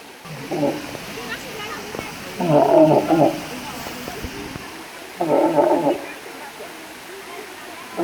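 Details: A walrus (Odobenus rosmarus) gives hoarse, roaring bellows in short bursts a few seconds apart.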